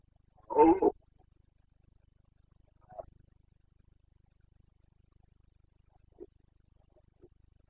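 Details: Carpathian red deer stag during boncănit, the autumn breeding-season roaring in the forests of Bucovina, Romania, 29 September 2022. One brief, harsh, throaty bellow, then near silence with a few faint, distant grunts.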